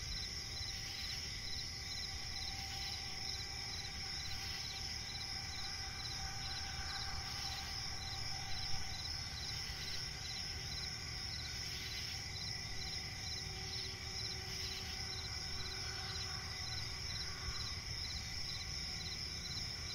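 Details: Crickets chirping at night in a forest with swamp nearby: a steady high-pitched trill layered with rapid pulsed chirps repeating in short bursts, under a constant low ambient rumble.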